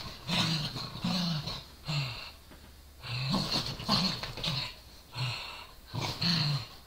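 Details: Corgi and Dachshund play-fighting over a toy. The corgi growls and bares its teeth while the dachshund barks. Low rumbling growls come in bursts with breathy, noisy scuffling, in about eight rough pulses with short pauses between them.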